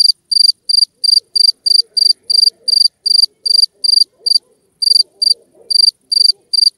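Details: Two-spotted cricket chirping: short pulsed chirps, each a quick burst of a few clear metallic pulses, repeated about three per second with occasional brief gaps, against a quiet background.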